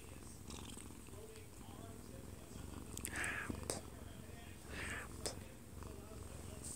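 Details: A sleeping odd-eyed Munchkin cat, one year two months old, held in its owner's arms and filmed close up; an even, low purr continues under a living-room TV broadcast and two short bursts of human speech.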